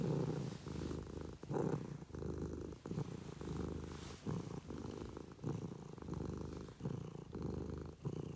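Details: Domestic cat purring up close indoors, a low, throaty rumble that swells and fades in steady breath-by-breath pulses, with brief pauses between inhaled and exhaled phases; no other clear sounds.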